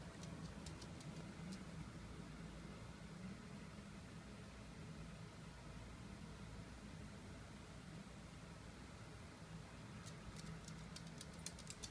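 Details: Quiet steady hiss and low rumble for the whole stretch, with a few sharp clicks or taps near the start and end, and no animal voice.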